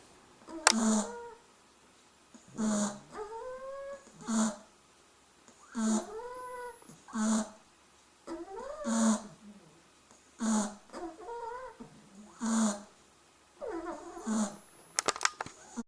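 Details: Three-week-old Beagle puppies snoring in their sleep. Regular raspy snorts recur roughly every one and a half to two seconds, with bending, whiny squeaks between them.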